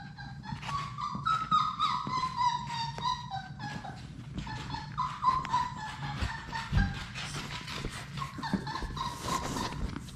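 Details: Labrador Retriever puppies, a litter of six, play in their indoor room: overlapping whines and yips falling in pitch, several pups crying at once, with scuffling, clicks and a low background hum.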